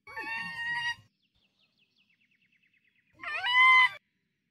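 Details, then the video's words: Raccoon dog in a forest giving two loud, harsh, wailing cries about two seconds apart, each rich in overtones, with a faint thin rapid trill in the quiet gap between them. "A mysterious tanuki sounds in the forest."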